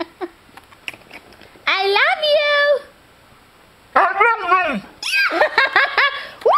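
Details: A Siberian Husky indoors gives several tuneful, yodelling howls that rise, waver and fall like speech, answering its owner's "I love you" between calls, seemingly saying "I love you" back, in a small room.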